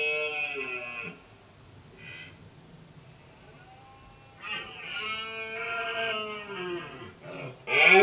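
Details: Red deer stag roaring during the late-summer rut while holding a group of hinds and driving off rival males; a harmonic, bellowing roar in the first second, then a longer wavering roar that rises and falls over about three seconds.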